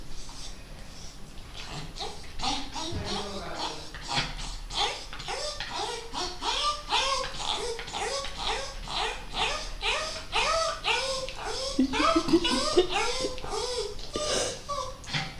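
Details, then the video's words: Pet dog named Coco making its odd noise when touched on a sensitive spot: a long series of short, arched, whiny yelps, about two per second, rising then falling in pitch, with human voices and laughter around. "El ruido raro de mi perro"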